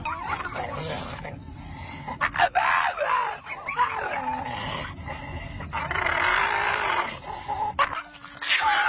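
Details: A pet dog making weird sounds, shown in a funny compilation: uneven whining and yipping bursts, some rising and falling, over a steady hum, with human voices mixed in.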